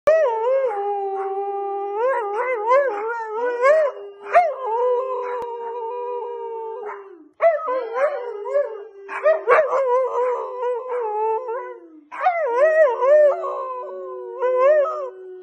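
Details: A husky howls and yodels in wavering, rising and falling tones, pausing between phrases, as if singing.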